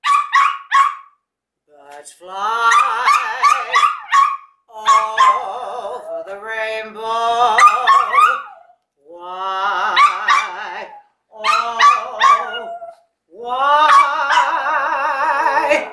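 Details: Jax, a pet dog, sings along with his owner, giving drawn-out wavering tonal howls in bursts of one to three seconds. The bursts are separated by short silences and rise and fall in pitch.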